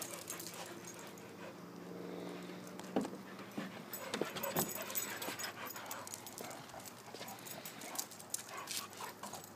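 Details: Three dogs at play in a back yard, two Pit Bulls of three and four years and a lively ten-year-old Wheaton Terrier on a pool cover; a sustained whining growl early, then scrabbling, thumps and broadband scuffle noise.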